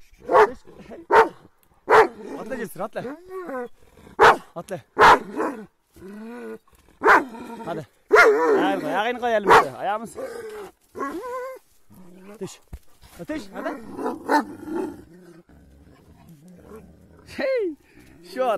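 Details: Attacking Kangal dogs bark loudly and steadily, about once a second, with snarling and whining between volleys, mixed with people talking and shouting.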